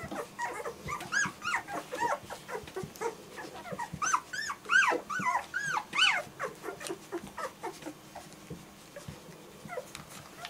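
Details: German Shorthaired Pointer puppies giving arched, whistled whines and squeals, some rising sharply then dropping, bunched in bursts with short pauses, quieter scattered squeaks toward the end.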